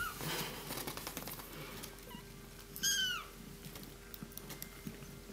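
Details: Tiny three-week-old kittens in a box, Miss Kitty's litter recently found under the house, with one brief high meow that bends downward, a faint shorter mew just before it, and quiet rustling around them.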